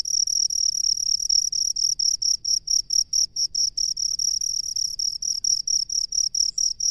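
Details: Rice-field cricket giving a clear, high trilling chirp, each short burst repeated a little over twice per second in an even rhythm, with a quiet low background hum.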